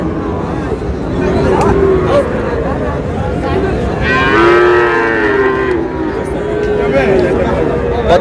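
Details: {'caption': 'Bull calves of Friesian and cross breeds at Raniganj cattle market in Dinajpur on 30 July: one full, harmonic moo lasting nearly two seconds mid-way, with fainter lowing around it and steady crowd chatter.'}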